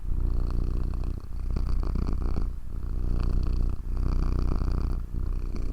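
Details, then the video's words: Pet cat purring close up, a loud deep continuous rumble broken by brief pauses about every one to one and a half seconds as the cat breathes in and out. "Healing Sounds of Cat's Purr"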